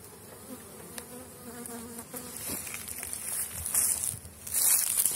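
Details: Honey bees at an apiary during intensive brood rearing, young bees making their orientation flight while others carry pollen and water; steady buzzing hum with layered tones, passing bees rising and fading, brief higher hiss near the end.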